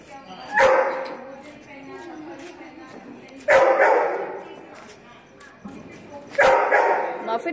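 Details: Labrador Retriever named Muffin, sad because its boy is not playing with him, gives three loud, harmonic barks spaced roughly three seconds apart, with speech and quieter household sounds between them.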